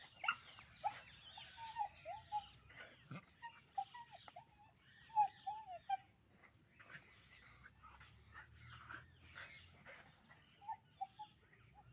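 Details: Puppies fighting: a busy tangle of high, wavering whines and short yelps, with sharp squeals and rough, noisy bursts scattered through, overlapping yips from more than one puppy, and faint background hiss.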